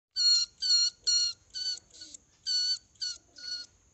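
A mouse gives eight short, high, nasal squeaks, evenly spaced about twice a second, each a steady tone with bright overtones. The background is quiet.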